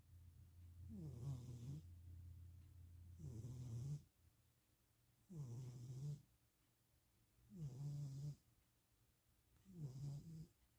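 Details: Napping pet cat snoring indoors in Austin, Texas, on 2026-04-07: five low rasping breaths, each about a second long, repeated roughly every two to two and a half seconds, with a faint steady hum underneath.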